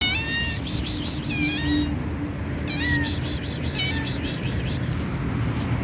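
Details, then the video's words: Hungry fat white stray street cat being fed, giving several high harmonic meows with rising and falling pitch in the first two seconds and again near three and four seconds, over steady low rumbling traffic-like noise and broadband hiss. "THE FAT WHITE CAT IS VERY HUNGRY AND MAKES INTERESTING SOUNDS"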